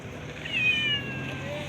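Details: Cat meowing while being fed by hand, food also shared with a dog; a short high, thin meow rising then holding level, over low background rumble and a man's calm voice nearby.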